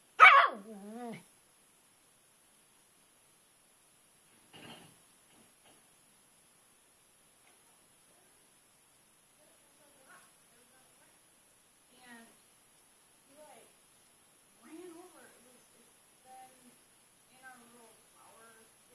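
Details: Pet dog Twitch barking at an old rock in a flower bed outdoors in the rain, jumping back and forth and circling it obsessively: one loud, sharp bark opens, followed by scattered quieter yips and whining sounds over the following seconds.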